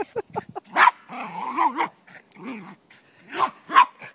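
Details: Playing soccer in Truckee, California, a male Silky Terrier blocks the ball, giving short yips, then a wavering, rolling growl-whine, and ending with two sharp barks.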